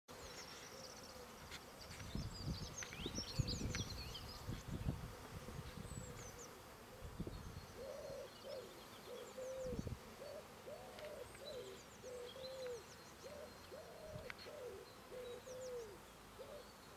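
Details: Honey bees from two hives on their first big flight out after their first winter, 10 March 2018, bringing in heavy loads of orange, yellow and white pollen; droning buzz swelling as bees pass, birds chirping high above, low rumbling wind noise.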